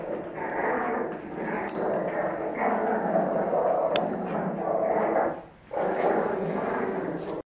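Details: French Bulldogs play fighting with a near-continuous harsh growling and snorting, broken by one short pause toward the end.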